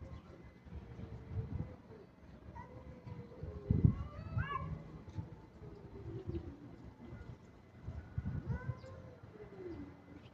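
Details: Kitten said to be in an aggressive mood, meowing: drawn-out, arching meows that rise then fall, one near the start, a higher one mid-clip and another near the end, over low rumbling background noise.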